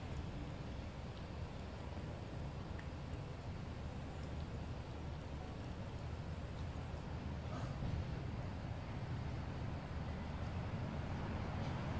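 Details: A steady low rumble of outdoor background noise, like distant traffic, fills the recording with no distinct animal call.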